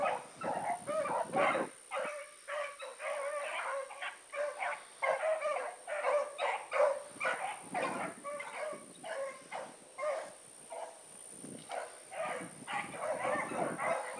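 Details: Distant chorus of the Blackreek pack, Choco, Dino, Johnny Ringo and Mingo, running on the evening of 16 August 2014; overlapping barks and bawls pour out continuously for fourteen seconds above a constant thin high whine.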